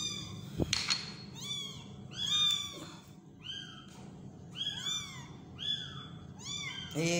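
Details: Tiny kitten during feeding utters a steady series of thin, high, downward-sliding mews, about eight in seven seconds, fairly quiet, with faint clicks and room noise.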